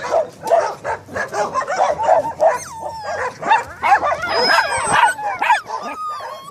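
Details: Staffordshire Terriers, several dogs, trade rapid yelps and whimpering whines, with a few longer sliding whines in the second half, while people talk in the background.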